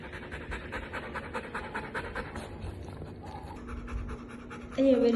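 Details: Female Golden Retriever panting in quick, even breathy puffs, then a woman's voice briefly breaks in at the end.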